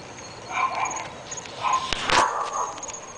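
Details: Barking from three dogs at a North Bay Village residence, described as going on all the time: a run of rough barks separated by short gaps, a loud sharp crack midway, and a constant faint high whine.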